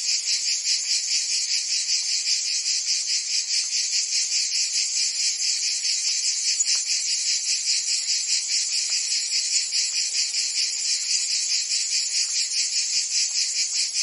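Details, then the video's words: Provence cicadas in summer filling the air with a shrill, unbroken buzz that throbs at a steady quick rate, a few faint soft clicks underneath. "Cicadas singing in France (Provence)"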